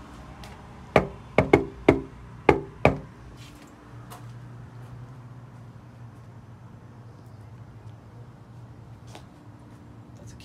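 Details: A quick series of six sharp knocks or taps, then a quiet room hum with a few soft clicks and no animal sounds.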